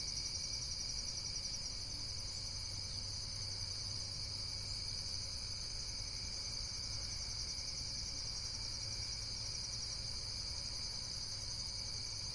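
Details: Steady high-pitched insect trilling, several shimmering layers that never pause, with a soft low hum and a brief low drone underneath.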